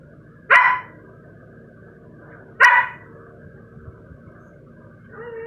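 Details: Sky, a pet Siberian Husky puppy, gives two short, sharp barks about two seconds apart, each a bright burst followed by a quiet stretch with a faint low hum underneath.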